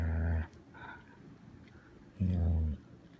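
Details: Pet Goldendoodle, a six-year-old female, growls while guarding her favourite monkey toy: two low, rough rumbles about half a second each, separated by nearly two seconds of quiet with faint background noise.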